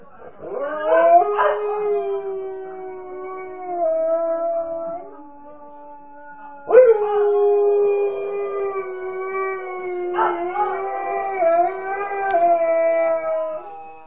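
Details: Nukka, a female Alaskan Malamute thought to be missing her mum, gives long sustained howls that open with a quick upward swoop, then hold steady; three howls across fourteen seconds, with short breaks between.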